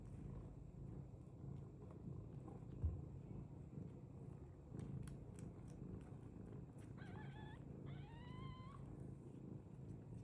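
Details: A British Longhair cat gives two short meows near the end, the second higher and rising, over a continuous low purr-like rumble and a few faint clicks.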